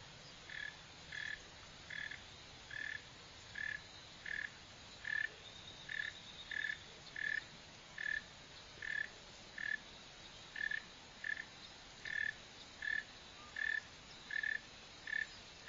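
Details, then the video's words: Northern mole cricket, Neocurtilla hexadactyla, giving an even run of about twenty short chirps, steady mid-pitched pulses repeated at a regular pace, with low background noise. "Mole cricket | Digging, Running | Sound | Northern"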